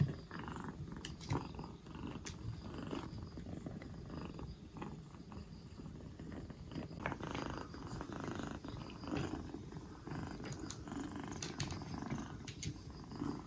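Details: Rescued two-month-old black Bombay kitten on its fourth day in care, recovering from a cold with its cough gone, purring in a steady low rumble with faint scattered clicks and rustles.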